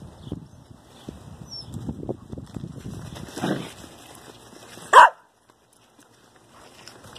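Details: Dobermann puppies from a ten-week-old litter at play give a single sharp, short bark about five seconds in, after a stretch of soft rustling and scuffling; quiet follows.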